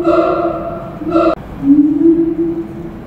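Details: A father-daughter pair of Siamangs at Tulsa Zoo duetting on November 28, 2018, with loud, ringing hoots, then a lower drawn-out note that swells upward.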